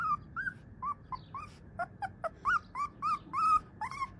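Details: Siberian Husky puppy giving a quick irregular series of about fourteen short, arched, squeaky yips and whimpers, some rising then falling in pitch, with brief gaps between them.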